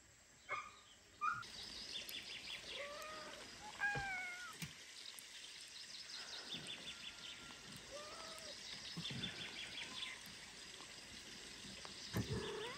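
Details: Newborn kitten, abandoned by its mother after birth and too weak to drink her milk, gives thin, short rising-falling mews scattered through the recording over a steady background hiss, with occasional knocks and handling sounds.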